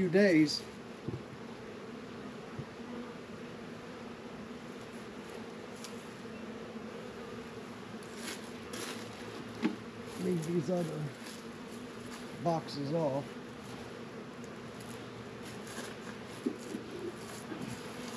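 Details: Honey bee colony buzzing around Warre and Langstroth hives in a northern Kentucky apiary, warm February day near 72 degrees; continuous low hum with occasional rising whines of passing bees and a few soft bumps.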